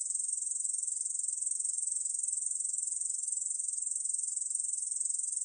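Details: Continuous high-pitched rasping trill from a Korean bush cricket, a fast ticking pulse train at an even loudness with no pauses, alone against silence.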